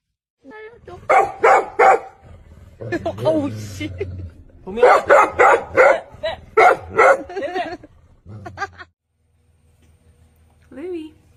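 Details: Dog barking in quick runs of short, loud yaps, roughly three per second, in two bursts with human talk mixed in and a quiet gap before a last faint bark.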